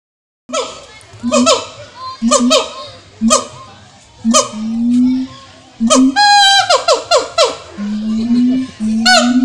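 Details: A siamang at Jurug Zoo in Solo, Central Java, gives loud, tonal hoots and barks in a rhythmic series, some notes sliding downward.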